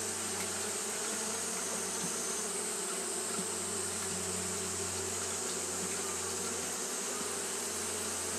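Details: Many Japanese honey bees fanning through a hot day, their constant buzzing hum layered over a low steady tone and a shimmering high hiss.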